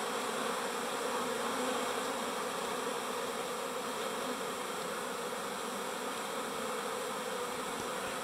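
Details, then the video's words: Busy bees drone in a thick, unbroken mass of buzzing that shows a faint rapid pulsing but stays level throughout, with no birds, voices or other sounds. "Bees buzz"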